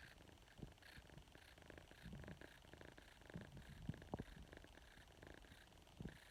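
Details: A young female domestic kitten, recovering from stomach upset, purrs close up at bedtime, a low continuous rumble rising and falling with each breath, with occasional soft bumps and rustles from handling.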